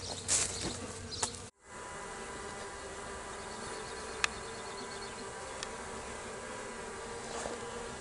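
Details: A mass of escaped honey bees being put back into their hive, 26 May 2023: a continuous humming drone, interrupted by a brief cut near the start, with occasional taps.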